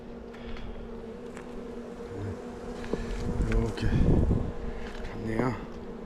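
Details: Honey bee colony kept in a hive on Jirisan, Korea, opened on a poor-weather day during a frame check after egg laying: a continuous droning hum in two steady tones, with brief thumps and a louder burst midway.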